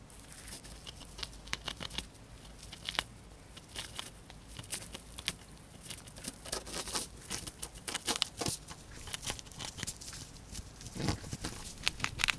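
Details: Female pet hamster quickly finishing a piece of dried corn, close ASMR recording indoors: dense, steady crunching and crackling clicks throughout, bursts of rapid gnawing with louder snaps, no voices or music.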